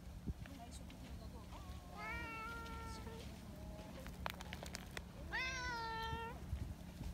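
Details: Affectionate community tabby cats, friendly and fond of being petted, living outdoors: two drawn-out, tonal meows, the first around two seconds long and the second rising then falling, over steady low background hum with scattered clicks and rustling.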